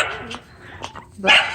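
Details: A female Miniature American Shepherd on a farm, excited because the animals are out, gives short, sharp barks in quick bursts, the last one loudest, with a person speaking close by.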